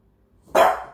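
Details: Pet French bulldog presented as a talking dog, letting out one sharp bark that fades out gradually.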